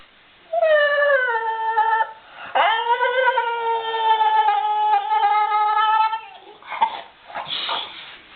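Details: A dog said to make a Chewbacca-like sound gives long, moaning howls that start high and slide down into a sustained, throaty drone.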